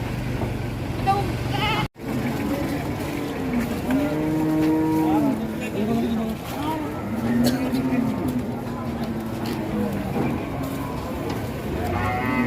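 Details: Angry cattle coming off a truck, rampaging until a horn came off: drawn-out, low moos with arched, rising-then-falling pitch, several overlapping through the middle seconds, over engine rumble and people talking nearby.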